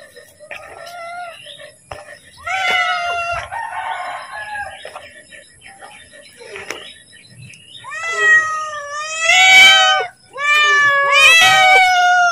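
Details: Pet cat calling to be fed as food is about to be given: a run of meows, soft and broken at first, then three loud, harmonic-rich cries close together near the end, with a faint steady hum behind.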